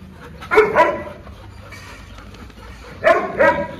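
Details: Dogs Lucy and Max, an Indian breed, having fun together; a dog gives two quick pairs of sharp barks, one pair near the start and another after a quiet gap of about two seconds, with faint background noise between.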